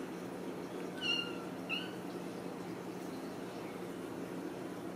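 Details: Ragdoll kittens raised in a home cattery in central Kansas: two brief high kitten mews about half a second apart over a steady low hum.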